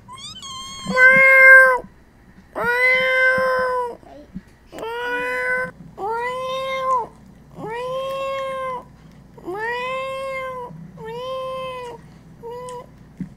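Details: Cats meowing in a steady series of about eight drawn-out, tonal meows, each rising then falling, spaced roughly every one and a half seconds, over a quiet low hum, with a few short high squeaky meows between.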